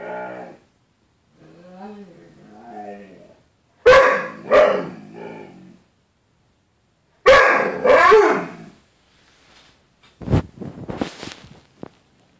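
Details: Dog named Bruce Wayne reacting to his own reflection in a closet door's glass, treating it as another dog: soft whining tones early, then two bursts of loud double barks with growly tails, ending in sharp clipped yaps.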